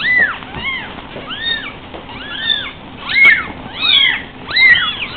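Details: High, sharply arched mews pour out in overlapping bursts roughly every second from five three-week-old Savannah kittens trying to leave a couch before they have learned to jump, over a faint background hum.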